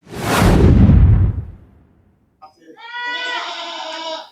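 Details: Goat of an improved breed on a farm selling goats: a loud rushing burst of noise first, then after a short pause one long, wavering, nasal bleat, rich in harmonics and lasting about two seconds.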